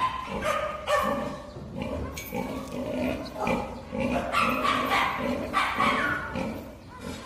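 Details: Several farmed wild boars (Sus scrofa) at a boar farm in Sangbuk-myeon, Eonyang, Ulsan, in summer, grunt and squeal in quick, uneven bursts, their harsh voices overlapping; Wild boar.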